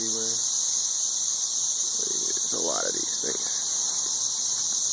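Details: Many 13-year periodical cicadas in Nashville, Tennessee, mating high in the trees, make a ridiculously loud, steady, high-pitched droning whine that never lets up, with a man's voice briefly audible beneath it.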